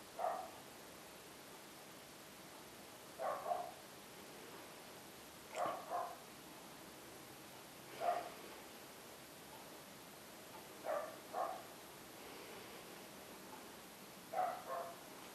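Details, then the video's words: Dog barking in short double bursts, about six volleys spread over fifteen seconds with quiet gaps between them, the barks fairly soft and distant against a steady background hiss. "Barking Dogs"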